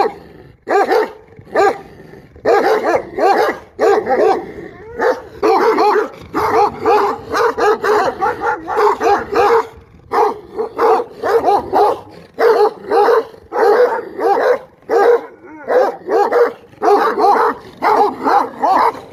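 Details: Sustained dog barking lasting nearly twenty seconds: fast, repeated harsh barks, sometimes running together in quick volleys, then separating into evenly spaced single barks.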